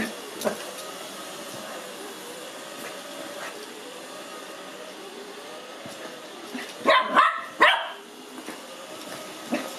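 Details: Excited, frightened and curious at once, five-month-old Lhasa Apso puppy Cookie barks at a robot vacuum he sees for the first time; a steady machine drone runs throughout, broken near the end by a quick burst of three or four sharp barks.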